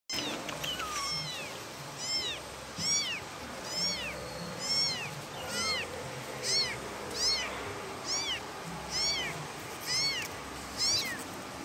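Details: Kitten calling its mother: high, thin meows with arched, bending tones, starting after a short pause, then repeated about once a second. Roughly eleven calls over a steady background hiss.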